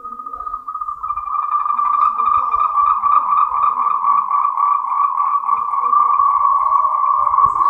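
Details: Mating call of Moltrecht's green tree frog, endemic to Taiwan. A fast pulsed trill holds a steady mid pitch and runs unbroken after the first second.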